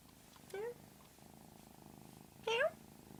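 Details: Pet cat making an odd, unusual sound: two short, bright, rising chirp-like calls about two seconds apart over a soft ongoing purr.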